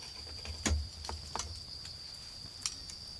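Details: Autumn insects calling in a garden beside a crackling bonfire: a steady high, even trill runs unbroken through the clip while sharp pops and snaps of burning wood break in at intervals, loudest near the start.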